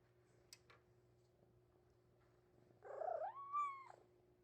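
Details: Male Maine Coon kitten, three months old, pleading to leave its cage: after two faint clicks comes one long, drawn-out meow that rises, holds and falls away, rich in overtones, against a quiet room hum.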